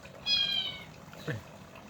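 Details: Short, high-pitched meow from a Himalayan kitten, lasting about half a second, followed by a brief thump amid a faint water and room background.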